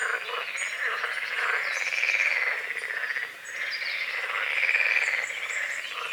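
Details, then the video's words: Dawn chorus of frogs on a small forest-edge lake among calamus and water lilies, a continuous buzzing croak that swells and fades, with faint bird twitters high above. "The sounds of morning frogs croaking"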